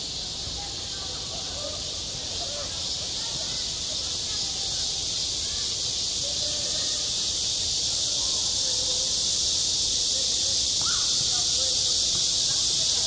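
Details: A cicada chorus in high summer at a school playground: a dense, shrill, steady buzzing that swells slightly louder toward the end, with faint distant voices underneath.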